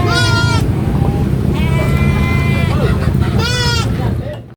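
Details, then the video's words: A baby goat on a farm screams in three loud, quavering, nasal bleats about a second apart, each with a slight rise and fall, over a constant low rumble. "GOAT SCREAMING BABY GOAT"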